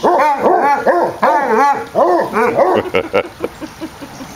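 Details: Two Basset Hounds playing together, one an 8-year-old rescued foster named Stubbs an hour after arriving: rapid, rough, arching barks and yips tumbling over one another for about three seconds, then fading into scattered shorter yelps.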